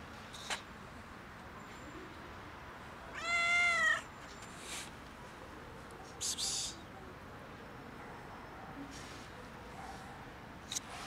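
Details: Stray cat outdoors in cold winter, competing with another cat for food on a bench; a single clear drawn-out meow with rich stacked harmonics lasting about a second, followed by brief rustles and clicks against a faint outdoor hiss.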